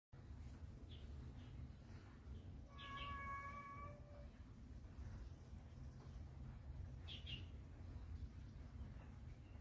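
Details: Frightened kitten in Taiwan, being protected by a carer, gives a single steady, flat meow about a second long, clear and tonal, over constant low rumbling background noise.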